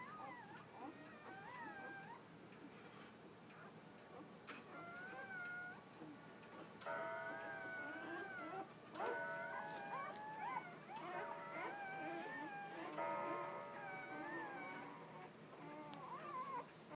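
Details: Newborn Labrador Retriever pups from Bitsy's eight-pup litter, born that morning, keep up a busy chorus of wavering whimpers and squeaks. Steady held tones that sound like faint background music run through the middle stretch.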